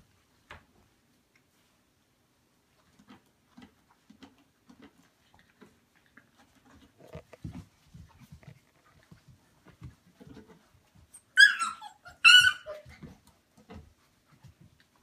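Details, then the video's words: Puppies playing together on a Monday morning: scattered soft scuffles, paw clicks and thumps, then two sharp, bright yelps close together near the end, followed by quieter shuffling. "Monday morning puppy play"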